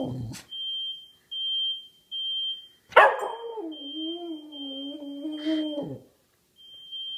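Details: Pet dog howling in response to a played fire alarm sound sample: a short bark, then a sustained wavering howl of about three seconds, steady then dropping at the end, over repeated high electronic alarm beeps.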